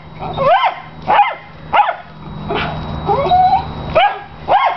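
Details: A pet dog described as obsessive barking while playing with his big tennis ball; piercing, high tonal barks with rising-falling pitch, about seven over five seconds at irregular spacing, with a steady faint hum in the background.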